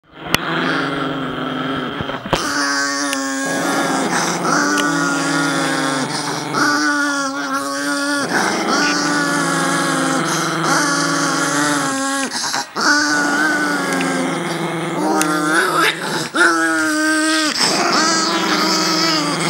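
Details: Several Chihuahuas make long, sustained, groaning howls with rich harmonic tones. The overlapping voices hold steady for several seconds at a time, broken by short pauses, with a sharp knock near the start.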